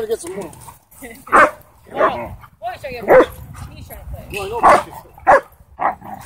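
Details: Dog at a dog park during play, with the owner fearing a fight might start; loud separate barks burst out about every second, mixed with human speech between them.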